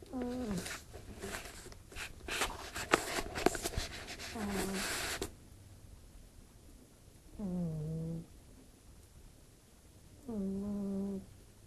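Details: Sleeping cat Fırfır snoring in a room: five seconds of loud rustling and handling noise with a snore underneath, then two clear, slightly descending humming snores about three seconds apart.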